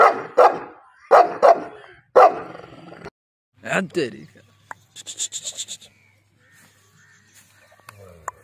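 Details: A dog fight involving Gabbar Badmash and Bravo opens with three rapid clusters of rough barks, each pair close together. The barking then stops and is followed by a whine, scattered clicks and a buzzy, pulsing high sound.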